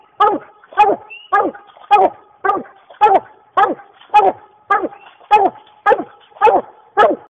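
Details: Dog treeing a raccoon, giving a long series of strong, rough barks spaced roughly every half second, even and insistent, each bark sharp at onset and dropping in pitch, with no other clear sounds.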